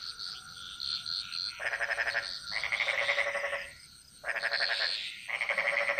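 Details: Frogs calling in a jungle chorus in Bali: bursts of rapid, rattling pulsed croaks lasting about a second each, alternating between callers with short gaps, over a steady high insect-like hum.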